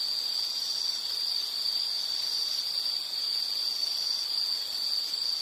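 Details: Continuous high insect trill at a steady pitch, softly pulsing and swelling slightly in loudness, over quiet background hiss.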